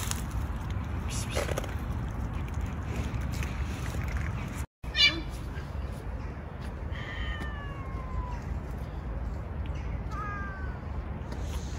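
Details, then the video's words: Stray male cats on the street facing off in a prolonged territorial challenge. A pair of falling, whining meow-like wails comes late, after a sharp knock, over a constant low hum and nearby conversation. "Angry male cats challenge each other"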